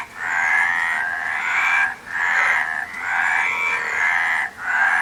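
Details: Several frogs calling at once, harsh trilled croaks massed into loud pulses about a second long, separated by brief pauses, against a constant low hiss.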